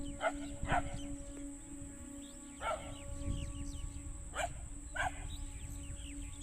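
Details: Dogs barking at a distance in short sharp barks spaced a second or more apart over a low rumbling background and a constant high whine.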